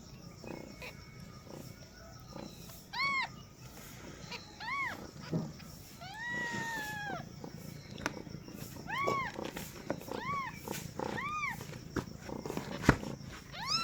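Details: Newborn kittens meowing just after a mother cat gives birth for the first time: thin, high, arched mews come singly and in pairs amid rustling and background noise.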